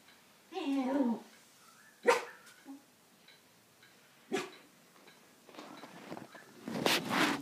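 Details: Jack Russell terrier and beagle cross dog, excited at a beagle down the road, tail wagging fast; a yelping bark burst, then sharp single barks at two and four seconds, ending in a loud noisy bark pair, with a person speaking softly.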